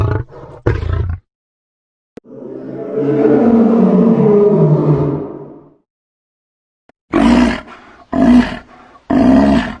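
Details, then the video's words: Lion sounds: short rough bursts, then a long drawn-out moaning roar that swells and fades over about three seconds, followed after a silence by three quick, harsh grunting roars. "13 SONIDOS DE LEON | 13 SOUND OF LION"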